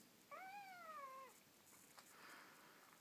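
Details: Kitten-sitting scene with Ossi, a neutered male Ocicat, minding a hungry kitten while its mother Elli is away: one drawn-out meow of about a second, rising briefly then sliding gently down, followed by faint rustling.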